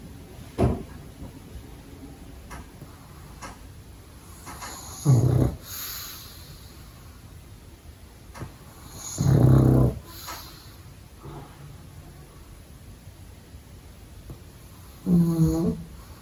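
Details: A pug puppy sleeping during the day snores in low, rumbling bursts, each breath a few seconds apart.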